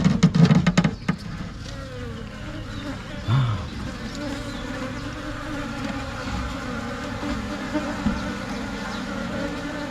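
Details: Asian honey bees (Thai cavity-nesting bees) swarming and moving into a new hive: a steady low droning hum with layered harmonic bands, a few sharp knocks and handling thuds near the start.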